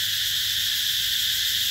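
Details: Cicadas calling in summer at the Mỹ Luôn eco-tourism site, Mekong Delta, 2021. The sound is an unvarying, intense high buzz filling the whole stretch, with no other clear sounds.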